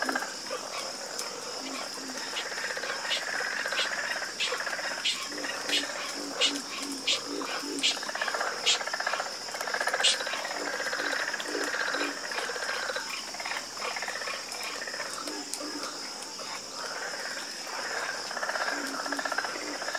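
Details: Frogs croaking together in a dense chorus, raspy mid-pitched calls blurring into a continuous rolling texture, with scattered low croaks and a constant high buzzing drone in the background.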